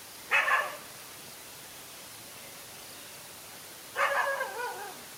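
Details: Dog facing off alone against two male dogs in a fight, outdoors: two sharp harmonic barks about three and a half seconds apart, the second trailing into a shorter yelp, over steady background hiss.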